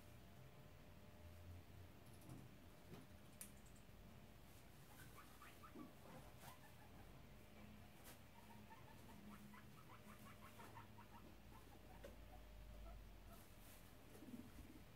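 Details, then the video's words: Two guinea pig boars, Shep (tri colour) and Chunk (black/brown), inspecting the sows' cage and having a disagreement; rapid clicking tooth chatter in short bursts with soft rustling and faint low hum throughout. "Guinea pig boars chattering"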